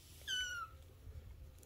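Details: Three-week-old Bengal kitten from Luna and Apollo's fall 2021 litter gives one short, high mew. It slides downward in pitch and lasts under half a second, with a faint low room hum underneath.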